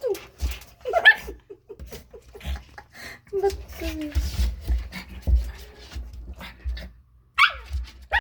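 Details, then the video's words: Chug puppies indoors giving short, thin whimpers and squeaky yips, some sliding downward in pitch, scattered through the clip with a sharper high squeal near the end; human speech and low handling thumps underneath. "Chug Puppies"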